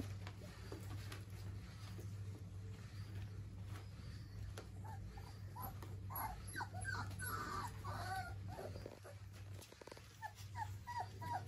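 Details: German Pinscher puppies four weeks old give clusters of faint, thin whimpers and squeaks in the second half, with a constant low hum underneath.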